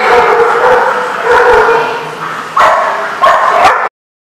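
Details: Dogs at a dog daycare in Rhode Island, recorded on 24 February 2014, giving loud overlapping barks and yips, with a sharp bark burst near the end, over a constant din of several dogs barking together.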